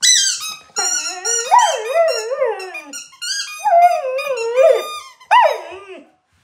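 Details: Labrador Retriever singing along with a squeaky ball in a small room: sliding, wavering whiny howls in three long phrases with sharp high squeaks from the toy.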